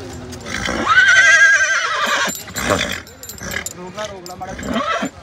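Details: Mare with her filly at a horse market, brought for covering while a crowd gathers: one loud, quavering whinny of about a second, then fading voices and crowd chatter.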